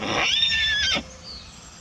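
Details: A pony stallion, tethered so he cannot run onto the road, neighs while missing his mare and newborn daughter in the adjoining paddock: one loud, shrill whinny of under a second, cut off sharply, then quiet outdoor background.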